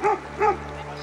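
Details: Two loud, full-toned barks from a dog at a house across the river, near a hoped-for wild camping spot in Albania, spaced about a third of a second apart over a steady low hum.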